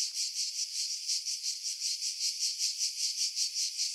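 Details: Cicadas buzzing in July at Pefkos Bay, Skiros, Greece, among pines above the sea; a sharp, high-pitched drone rising and falling in even rapid pulses, windy passages filtered out.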